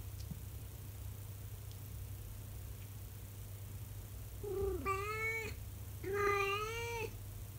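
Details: Twenty-four-year-old calico cat howling indoors at 6 a.m., part of her daily morning routine; a pair of long, mournful, slightly rising yowls, each about a second, separated by a short pause, with a constant low background hum.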